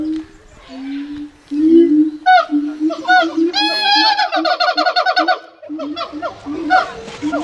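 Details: Siamang gibbon calling at Dublin Zoo gives loud, rising whoops and rapid barking notes over a steady low hum.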